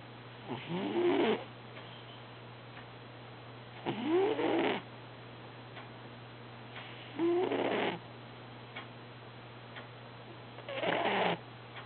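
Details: Dreaming house cat Herbie snores in a slow, regular rhythm, four harsh, buzzy snores about every three and a half seconds, each swelling then cutting off, with soft ticking and a constant low hum between them.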